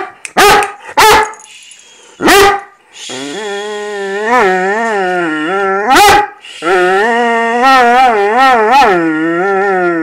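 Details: Great Dane in foster care vocalizing before breakfast: three short sharp yips, then long wobbling harmonic moans that warble up and down, broken by one loud bark-like yelp, then another sustained warbling moan.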